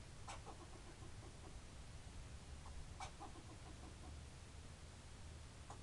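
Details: Squirrel barking: sharp broadband chips at about 0.3, 3 and 5.8 seconds, each trailed by a run of soft, evenly spaced harmonic notes, over a steady low rumble of background noise.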